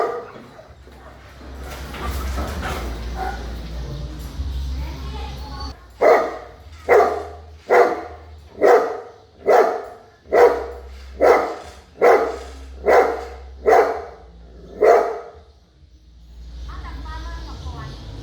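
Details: A big dog barking in a steady series of deep, loud barks roughly once a second from about six to fifteen seconds, preceded by speech-like murmur and a low hum, with a hiss at the end.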